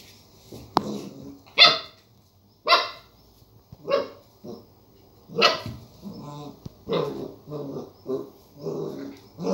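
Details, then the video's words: Border collie puppy barking at a lemon seen for the first time: a series of short, sharp, high-pitched yaps spaced about a second apart, some followed by low growly whines, with a person saying "no" nearby. "Border collie puppy barks at the lemon"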